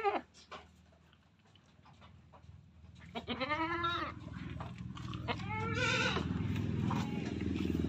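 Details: Male Etawa crossbred goat bleating twice in quavering, nasal bursts amid a steady low rumbling background hum and scattered knocks.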